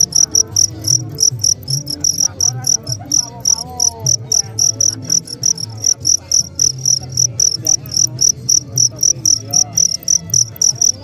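Crickets chirp in a steady, high-pitched pulsing trill, several short bursts every second.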